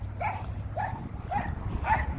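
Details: Dog barking persistently: four short, sharp barks roughly every half second, each with a slightly rising then falling tone, over a steady low rumble of background noise.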